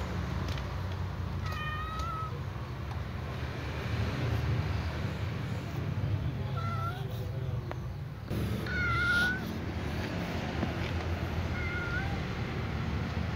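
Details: Little cat among other cats while butting at them, uttering scattered brief meows, some slightly rising, spaced several seconds apart, against constant low background rumble.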